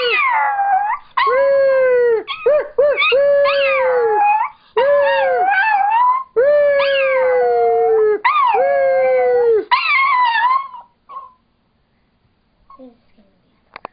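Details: Peanut, a seven-pound female Chihuahua-Dachshund mix, crooning along; loud drawn-out howls that rise then fall in pitch, broken into about eight phrases with brief gaps, fading to faint sounds near the end.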